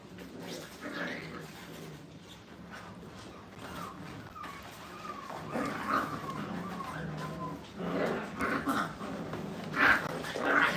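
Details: Five-week-old Brittany puppies in a playpen for the first time whimper and whine, with thin pitched cries sliding up and down in short bursts, growing louder and busier toward the end amid soft background voices.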